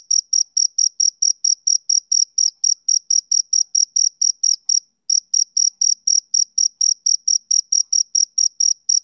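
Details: Male cricket chirping on a summer evening: a clean, high-pitched chirp repeated steadily about twice a second, each pulse sharp and even, with one brief gap midway and no other sounds.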